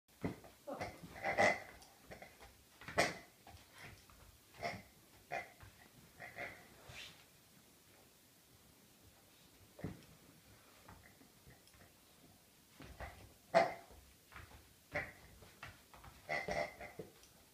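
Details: Rhodesian Ridgeback on its birthday making bursts of short grunting, snorting sounds in irregular clusters, with a quiet stretch midway before the snuffling resumes.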